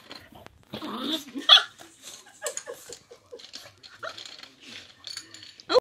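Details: A Boxer puppy barks at a pot of pencils, giving a string of high, sharp yapping barks, some trailing into whiny yelps; filmed 7 June 2020.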